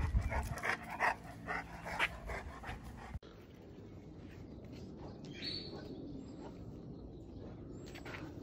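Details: Presa Canario dog, recorded April 2020: a burst of deep, loud barks repeated rapidly over the first three seconds, then an abrupt cut to quieter background rumble with faint scattered noises.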